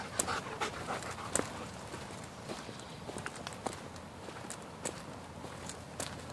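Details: Blue Bay Shepherd and German Shepherd dogs on a hot, humid early-morning walk to a spring-fed cave in Mississippi River Regional Park. Quick, uneven breathy panting mixes with crunching footsteps and sharp clicks on the path.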